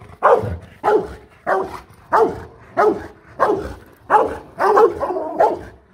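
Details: Rottweiler guard dogs Bruno and Loky, held on leads and pulled out to see each other, barking: about nine deep, loud barks evenly spaced roughly every two-thirds of a second, with quiet gaps between.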